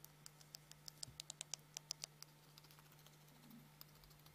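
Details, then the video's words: A hamster chattering its teeth indoors: a quick run of sharp, dry clicks, about a dozen in under two seconds, then a few scattered ticks, over a steady low electrical hum. "Хомяк стучит зубами"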